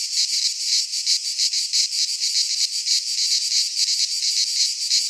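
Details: Greek pine-forest cicadas in midsummer: shrill, grating buzz held without pause, swelling and dipping in fast rhythmic waves over a few seconds.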